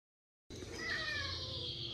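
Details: Zoey, a domestic cat at a cat cafe awaiting adoption, upset on first arriving in a new room: after half a second of silence, a sudden strained, drawn-out meowing wail with a faint tonal line, over a broad hissy background.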